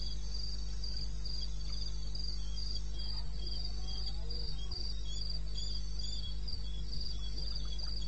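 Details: Wild crickets at night in eastern Botswana, recorded at 02:30 in May, give rapid rhythmic high chirps in a continuous series, set against persistent low-frequency hum and a few soft clicks.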